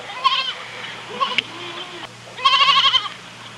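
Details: Goat calls in wavering, shaky bleats, a short one at the start, a softer one mid-way and a fuller, longer quavering cry at the end, with a faint steady hum underneath.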